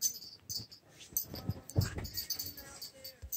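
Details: Angel, a female pet dog being coaxed to sneeze, growls: low, rough rumbling bursts that swell and fade, strongest midway through, over a steady hiss with faint voices.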